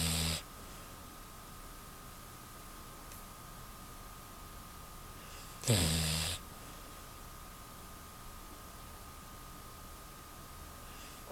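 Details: Pet Beagle Choco in deep sleep gives a single short, rough snore midway through otherwise quiet breathing, with a constant electrical hum in the room.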